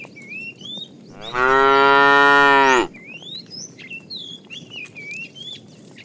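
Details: Tame cows driven to green pasture in the morning; one steady, strongly harmonic moo lasting about a second and a half, framed by whistled bird calls.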